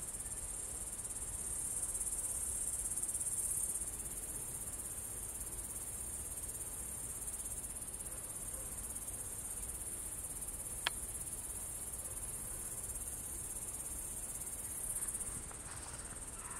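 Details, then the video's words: Crickets chirping at Kolga, Estonia, on 6 September 2018 at 20:26 in the evening: a steady, very high, continuous shrill trill runs unbroken through the whole recording, with a single sharp click near the eleventh second and faint low rumble beneath. "Ritsikate siristamine Kolgal"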